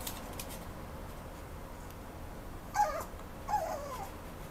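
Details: Mame Shiba dog at a Japanese adoption-focused pet shop, uttering two short, thin whines about a second apart, each a brief pitched cry falling slightly away, in an otherwise quiet room.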